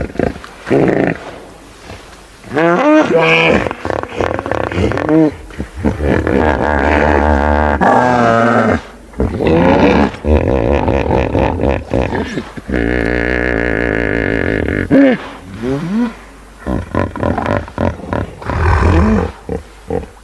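Hippopotamus giving deep, harmonic honking grunts in long rolling bursts, with human voices nearby.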